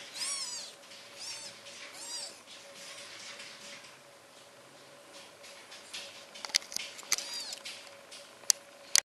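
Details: Newborn British Shorthair kittens, aged four days, in a Polish cattery: several high, wavering mews early on, then sharp clicks and knocks with occasional further mews over a constant low hum.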